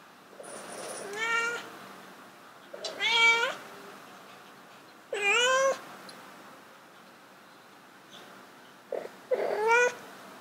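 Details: Domestic cats, two animals, indoors during a mating attempt; four loud, drawn-out wailing meows, each rising then falling in a wavering arc, spaced a few seconds apart over quiet background.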